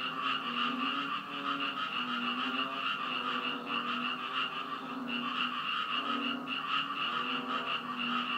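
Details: A dense frog chorus on Koh Chang, recorded 10 June 2013 after rain, gives overlapping, pulsing croaks with ringing, nasal overtones that never let up.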